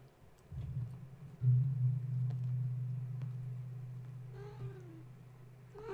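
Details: Kittens of Gaia, stirred awake at bedtime and climbing fence and kennel while their mother tries to settle them; a loud low hum and bumps fill most of the stretch, with two short falling meows near the end.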